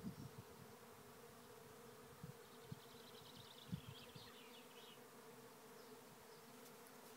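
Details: Thousands of bees swarming into a trap hive at Lisballyard, Rathcabbin, Tipperary, Ireland; a dense, steady low hum with layered drone bands, a few soft bumps and thumps, and faint bird chirps above.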